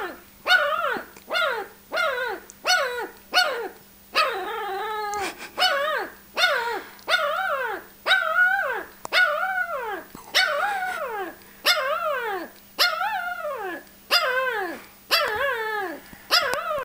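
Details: Dodger, a ten-day-old Shar Pei pup acting ferocious after his mother put him in a pot, yelps and squeals almost continuously, loud arched cries repeating about once a second over a faint steady hum.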